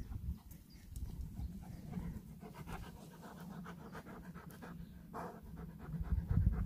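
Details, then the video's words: Dog named Ollie excitedly spotting a treat from far away, heavy rapid panting throughout, low breathy pulses roughly three a second, with a person's voice and footstep-like thumps near the end. "Dog spots treat from far away"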